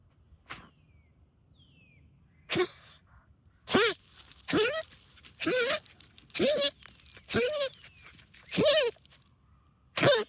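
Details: Rosie, a pet dog hunting moles in backyard trenches, makes goose-like honks while excited. After a quiet start, about seven harsh nasal honks follow roughly every second, each short and wavering.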